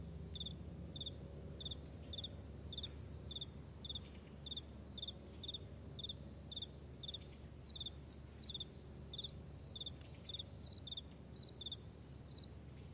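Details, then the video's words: Several crickets chirping on a broad meadow in the morning, with rapid high pulses repeated in a steady rhythm and some overlapping, over a faint low hum. "Morning Crickets"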